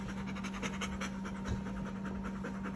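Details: Bernese Mountain Dog, tired after a day at the dog park, panting quickly indoors: soft breathy puffs repeated several times per second in a steady rhythm, with a constant low hum running underneath.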